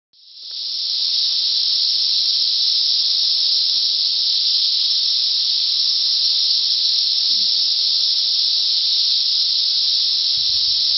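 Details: Cicadas about one week after emergence, 2015, in a loud continuous high hissing drone that swells in within the first second and holds steady without pause throughout.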